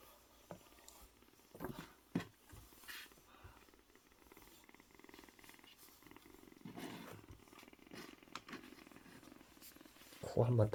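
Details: Rescued kitten of about one month, probably male, found at a vegetable shop in a market, purrs contentedly under a hand indoors, a low even throbbing growing clearer midway, with rustling handling noises and a loud bump at the end.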